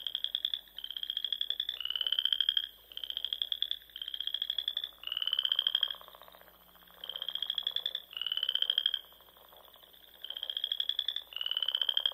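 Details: Frogs calling at dusk in spring from ponds in the Nebraska Sandhills; a string of high, rattling trills, each roughly a second long, comes in bursts separated by short gaps, with multiple voices overlapping.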